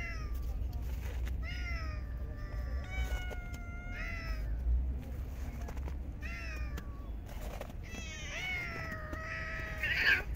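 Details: Stray cats in a park being fed in very cold winter weather, several drawn-out harmonic meows, some rising then falling, overlapping through the stretch, over a steady low rumble of outdoor background noise.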